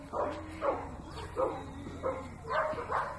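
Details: Dog barking in a steady series of about six short, sharp barks spaced roughly half a second apart, each with a bright harmonic burst, over a low constant background hum.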